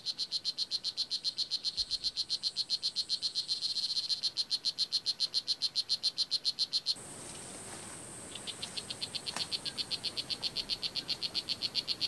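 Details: Blue jeans poison dart frog (Oophaga pumilio) at Kahka Creek Rainforest Preserve, Nicaragua: a long, steady run of high, buzzy chirps, close to four per second, briefly softer midway, then resuming strongly.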